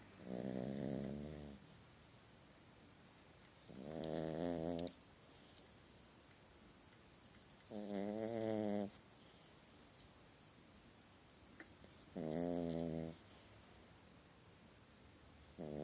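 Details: Sleeping puppy snoring through a nightmare indoors, with four rhythmic raspy snores of about a second each, repeated roughly every four seconds, separated by quiet pauses with faint room noise.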